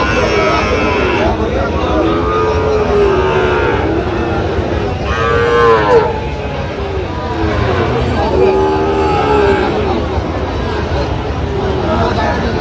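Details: Sahiwal bull calf bought by a farmer in Chittagong, Bangladesh, at a cattle market: several short moos rising and falling in pitch, about three within twelve seconds, over crowd chatter and market noise.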